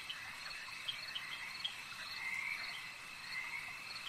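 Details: Frogs calling at a lake, a dense overlapping chorus of mid-pitched trilling croaks over a steady high insect-like hum, with scattered brief sharper clicks and chirps throughout.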